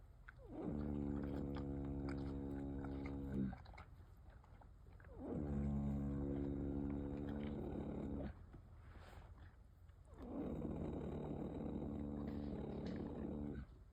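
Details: Loud snoring from a sleeping mare of the Rocky Mountain Horse breed, three long, rough, resonant droning breaths of around three seconds each, with brief quiet gaps between them.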